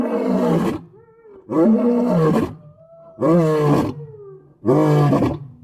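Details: Thunderous lion roaring: four strong, deep bellowing bursts about every one and a half seconds, each harmonic-rich and sliding slightly downward, with faint tonal sounds in the gaps.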